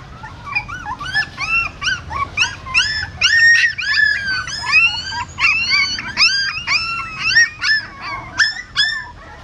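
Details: Newborn puppies crying while their mother relocates them in her mouth from a stupa at a Siem Reap pagoda; loud, continuous stream of high, wavering squeals and yelps, several pups overlapping, nearly without pause.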